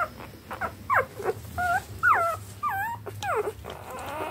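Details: Eleven three-day-old standard wire-haired dachshund puppies give thin, high squeaks and whimpers, several overlapping, as they all rush to feed from their mother at once.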